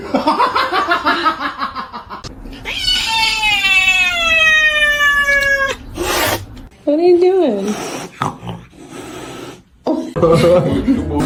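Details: Kitten meowing indoors: a long, drawn-out harmonic meow that slowly falls in pitch over about three seconds, followed by shorter mews, with people talking and laughing over it.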